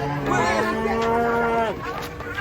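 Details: Cattle being unloaded from a truck give a long, steady moo lasting about a second and a half, strong and harmonic, then sliding down at the end, with faint voices in the background.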